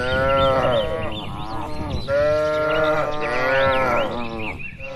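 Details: Free-roaming tame cattle grazing in open rural pasture: two long, resonant moos nearly filling the five seconds, the first fading near two seconds, the second rising loud right after and trailing off at the end.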